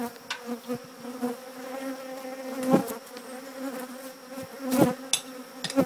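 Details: Honey bees congregating near their old hive while it is removed from an old church; steady low buzzing hum with sharp clicks and knocks scattered through, and brief human speech.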